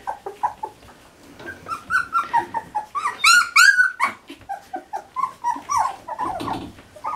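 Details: Standard Poodle puppies, three weeks old, indoors around breakfast time, giving a steady run of short whining squeaks and yelps, several puppies overlapping, rising to a cluster of shrill squeals midway.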